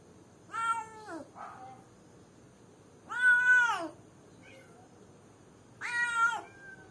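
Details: Cat alone in a cage calling someone with three loud, falling meows, one followed by a softer short meow, about every two and a half seconds against a quiet hum.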